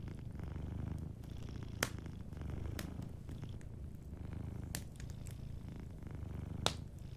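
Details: Soft, continuous low purring from a sleeping cat, with a slight rhythmic swell and fade. A cozy fireplace crackles with scattered sharp pops, the strongest near the end.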